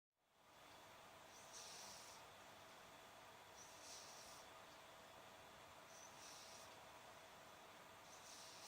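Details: A cat snoring while asleep in summer: soft, airy, hissing breaths come roughly every two seconds, each a short breathy puff, over a steady low background hiss in a quiet room.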